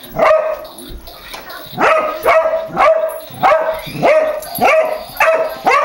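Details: Pet dog acting ferocious toward a remote-controlled toy car that revs at it; loud, ringing barks in quick uneven bursts, nearly two per second, each with a sharp onset and a short falling tail.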